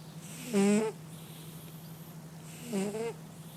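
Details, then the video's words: Sleeping cat snoring: two short tonal snore bursts about two seconds apart, each with a rising nasal tone and a buzzy upper layer, over a steady low hum in between. "Кот храпит"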